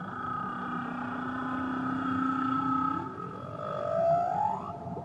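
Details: Tahiti whale song unit: a deep drawn-out moan layered with a higher steady tone, the low note breaking into a smooth rising glide that climbs to a brief peak before fading, with underwater hiss beneath.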